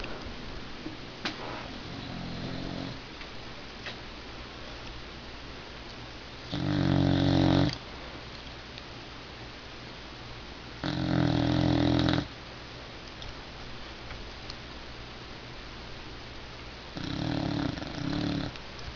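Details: Pet dog asleep indoors, snoring loudly in three long rasping bursts about five seconds apart, each a low rumbling snore with a harsh breathy buzz, separated by quiet room hiss.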